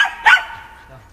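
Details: Shetland Sheepdog named Shaun barking during agility training on the dog walk, practising running contacts, 11 November 2013; one short, sharp, harmonic-rich bark with a soft vocal tail and fading echo.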